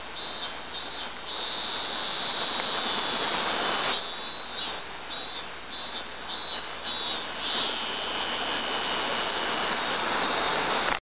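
A cicada's loud, harsh buzzing song, pulsing at first and then running as one unbroken drone.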